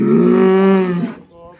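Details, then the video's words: Black bull in Indonesia, described as raging, ends a loud harmonic bellow about a second long, followed by fainter low sound and a man's voice. "SAPI HITAM MISTERIUS NGAMUK"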